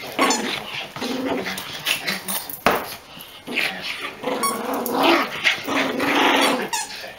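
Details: Long-haired Chihuahua brothers wrestling for a toy, one doing most of the noise: nearly continuous rough, whining growls rising and falling in pitch, broken by short snaps and squeaks.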